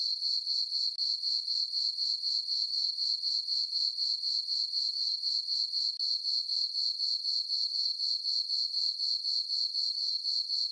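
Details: Crickets on a moonlit summer night in a farm meadow, a continuous thin high trill broken into regular pulses roughly four per second, otherwise quiet.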